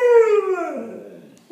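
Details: Badger the dog, searching for his friend, gives a brief indoor howl that begins steady and clear, then slides downward into a fading, breathy moan before a short final sound.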